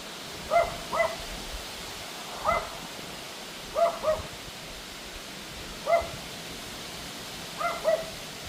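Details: On August 2 at 6:58 pm, during a wind storm, a Pomeranian barks at the wind with sharp, high barks, often in quick pairs, over a steady rush of wind.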